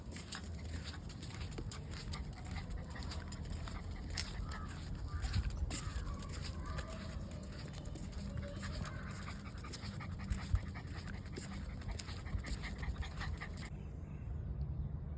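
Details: Pluto, a Labrador Retriever in Chennai, on deworming day: steady rhythmic panting with quick soft breaths running through the whole stretch, over a constant low hum, with a few faint clicks and brief murmurs of voices nearby.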